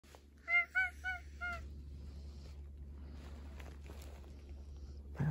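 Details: Black domestic cat, sleepy and seeking affection on a futon indoors: four short, quick, clear mews in a rapid burst, then quiet room hum and a woman's soft voice at the end.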